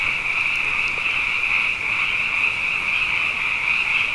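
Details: Nighttime frog chorus during a season of abundance after two wet years; unbroken, shimmering high trill from many callers at once, a lower murmur beneath, and a couple of faint ticks early on.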